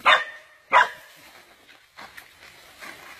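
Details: A dog caught by a giant snake, which survived the attack; two short, harsh barks come in quick succession, followed by fainter yelps and background voices.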